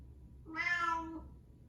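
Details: Pet cat following its owner around indoors, calling out: a single drawn-out harmonic meow lasting under a second, rising then easing down, in a quiet room with a faint low hum.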